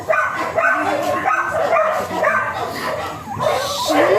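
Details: Teacup Pomeranian stud dog at Bugallion, Pangasinan, giving high, harmonic whining yelps in irregular bursts about twice a second, rising and falling in pitch, with human voices talking underneath throughout.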